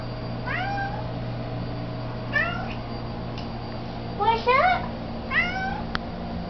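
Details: Domestic cat meowing indoors during a midnight treat: four short, bright meows spaced roughly a second or two apart, each with a rising then falling bend, over a steady low electrical hum, with a faint click near the end.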